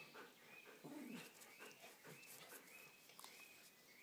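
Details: Dogs Sára and Ceasar in a fight, one giving a brief low voiced growl early on amid rough scuffling noise, while thin rising birdsong whistles repeat steadily behind them.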